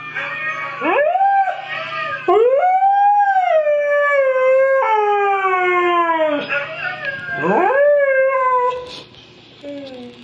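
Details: Pet Siberian Husky howling along to a recording of huskies singing: loud, clear, sweeping howls that rise steeply then hold and slowly fall, four long drawn-out phrases with rich harmonics, ending with a softer short note.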